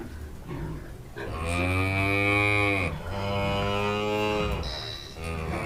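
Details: A farm cow gives two long, deep moos, the second after a brief pause.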